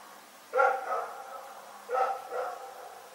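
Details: A dog named Rex barking at night in Pyrga: two sharp, harmonic barks about a second and a half apart, the second a quick double bark, over a faint steady background hum.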